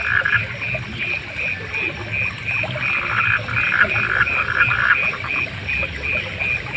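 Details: Frogs calling in a relaxing night soundscape with other night animals: a steady chorus of short, bright pulsed notes repeating about twice a second, overlapping lower raspy croaks, over a constant high insect-like hiss.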